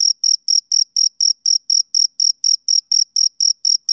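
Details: Male cricket chirping on a summer evening, a brisk run of shrill, even chirps at about four per second, each equally loud, separated by short silences, no other sounds.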